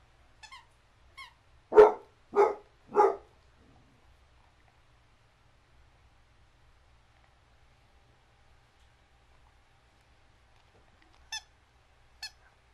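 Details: Petite basset hound barking, one of two fostered females, Oakley and Reagan, in the Midtown Atlanta area: two short faint yips, then three loud deep barks about half a second apart, a long quiet pause, and two brief sharp barks near the end.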